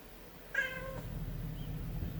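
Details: Munchkin kitten indoors giving a single short meow of about half a second, with a bright harmonic tone that holds steady and then stops, over a low constant hum of room noise.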